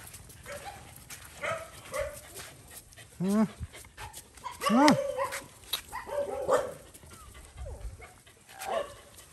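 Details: Stray mother dog on a farm in Cambodia, guarding her puppy and threatening to bite as a boy gives it food; short harsh barks and yelping whines in scattered bursts, two louder rising-falling cries near the middle, over background noise.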